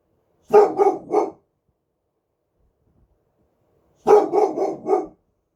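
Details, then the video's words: One-year-old boxer dog barking during the night: two bursts of three quick, hoarse barks each, separated by about three seconds of silence. "1 Year Old Boxer Dog Barking"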